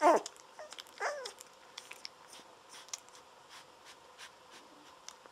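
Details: Seventeen-day-old Golden Retriever puppies nursing on a milk bottle while on their backs; opens with a loud wavering squeal, a second whine about one second later, then quieter suckling clicks.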